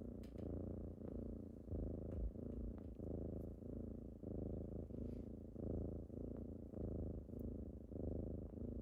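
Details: Kittens purring indoors on a typical morning as they wake their owner: a deep, rumbling purr pulsing steadily with each breath, about one and a half pulses per second, with occasional faint clicks.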